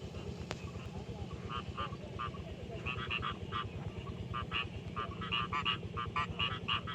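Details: Rice field frogs in daytime in a paddy, producing rapid clusters of short, knocking, rattling croaks in uneven bursts, over a loud steady low rumble of background noise.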